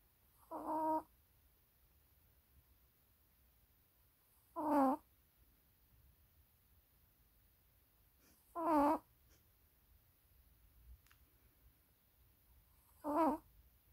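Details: Maltese dog asleep and snoring steadily: four whistled, nasal snores with a wobbling tone, each about half a second long, repeating roughly every four seconds in a quiet indoor setting.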